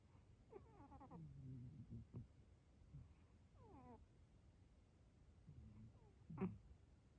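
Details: A cat sleeping peacefully while snoring: low rumbling breaths with a few short, nasal, whistled tones that slide downward, some in quick clusters, over a quiet background.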